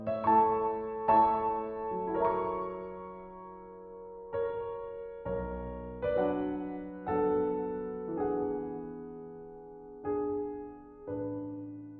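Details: Gentle piano melody of sustained notes and chords, slow and lullaby-like, with no animal sound.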